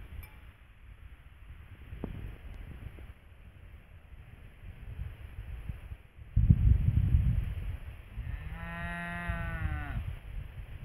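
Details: A cow grazing in a field with her calf, wearing a yellow bell, gives one drawn-out, mellow moo near the end over steady low wind rumble.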